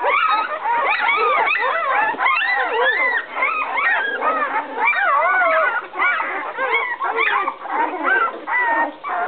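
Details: Litter of 11-day-old puppies from Fiona and Max crying in the whelping box as they search for their absent mother; dense overlapping wavering squeals and whines, loud and nearly unbroken.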